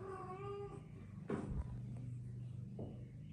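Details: Persian cats, a mother with her tiny kittens at play: one short, slightly falling meow of under a second opens, followed by thumps and a steady low hum.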